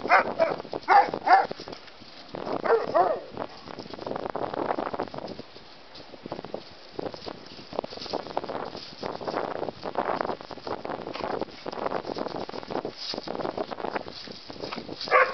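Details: A terrier mix and a bulldog learning to play together; rough, broadband growls and short barks come in uneven bursts, some clustered, with quieter scuffling between them.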